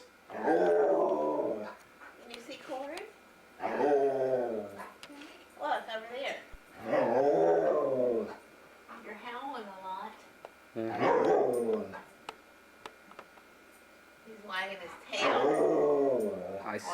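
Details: Luca, a very talkative foster dog, produces repeated wavering, yodel-like moans about every three to four seconds, each bending up and down in pitch, inside a small room.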